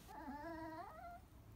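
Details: Crying Chihuahua giving a sustained, slightly wavering whine lasting about a second, held at a fairly even pitch before dropping off at the end, with faint low background hum.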